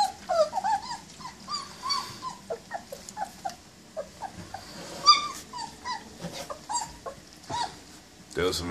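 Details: German Shepherd puppies eating near Chicago whimper and whine repeatedly in high, wavering cries, some sliding upward, while a woman's voice talks over them and feeding clatter breaks in near the end.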